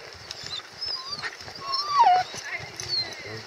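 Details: Female Siberian Husky in Staunton State Park, Colorado, excited by nearby horses during rain, giving thin high whines that rise and then slide downward, short squeaks scattered through, with rain patter and quiet human talk around.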